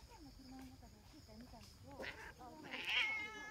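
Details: Female brown tabby cat, a community cat, alongside a black cat that arrived later; a rising harmonic meow near the end, with soft earlier vocal sounds and faint speech in the background.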